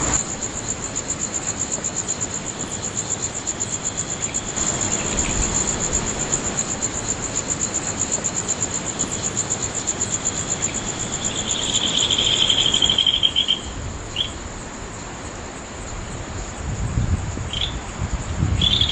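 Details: Insect chorus under the full moon, late night of 13–14 August 2011, Nagahama-chō in Naze, Amami Ōshima, Japan. A continuous shrill high tone, a brief pulsed trill around the two-thirds mark, and a low rumble like a passing vehicle.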